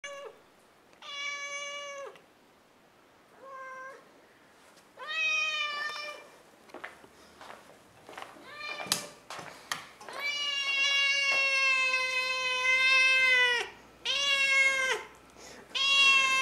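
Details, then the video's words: Domestic cat meowing loudly while walking the hallway of a house in the morning, a daily habit; a series of long, clear, harmonic meows, some drawn out over three seconds, separated by short pauses, with a few thumps indoors. "Loudest Cat I've ever seen..."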